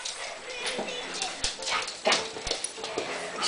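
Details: Angry Dachshund yipping and barking in short, irregular bursts spread over several seconds, with people talking and cheering it on in the background.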